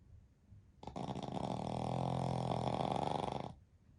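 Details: Napping Pekingese x Shih Tzu mix dog, part of a family of three sleeping together, lets out a drawn-out rattling snore of nearly three seconds that swells and fades, followed by quiet.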